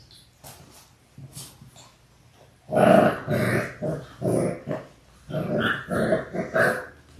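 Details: Labrador Retriever puppies, six weeks old, one of a litter of six born January 18, 2022. Low rumbling growls come in pulsing bursts, several in a row, with a few faint whimpers before them.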